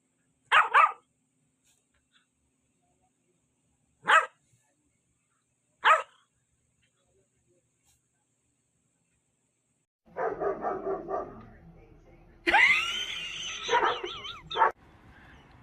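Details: Labrador Retriever puppies: three short, sharp barks spaced a few seconds apart, followed by a longer stretch of high, wavering whines and yelps.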